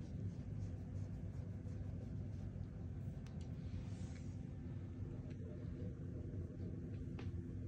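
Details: A low, steady indoor rumble like distant traffic runs throughout, with a few faint clicks and no clear animal voice.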